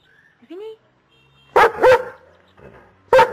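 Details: Dog in a humorous morning back-and-forth with its owner: faint whines at first, then two loud barking yowls close together, and another sharp one after a short pause.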